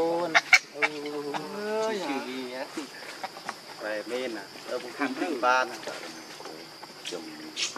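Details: Baby monkey Leo cries to beg its mother for milk, hungry; a run of strained, wavering squeals and whimpers with bending pitch, close and loud, broken into many short bursts over a steady high background hum.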